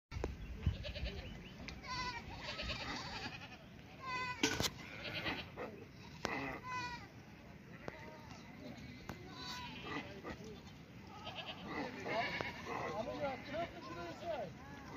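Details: Markhor in the mountains of Tajikistan in summer: several wavering, nasal bleats overlapping from more than one animal, with human voices and handling noise mixed in.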